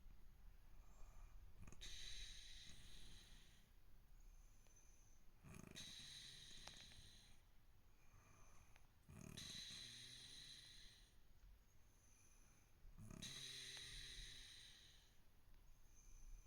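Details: Kitten named Chibi-chan, sleeping soundly: very soft, breathy snores in slow cycles, each swell roughly every four seconds, hissy with a faint low rumble, in a quiet setting.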